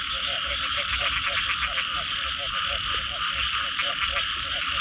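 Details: Frogs calling in the night after rain: rapid pulsed croaks repeat several times a second in a steady chorus, over a constant bright hiss of rain or insects.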